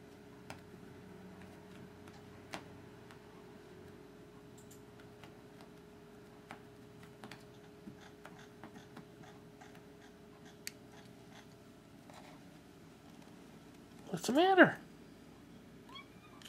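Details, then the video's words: Holly, a pet cat indoors, begging for a laser toy: after long near-silence with faint ticking and clicks, a single short arched meow with rich harmonics sounds near the end, then a small trailing note. "Kitty begs for laser"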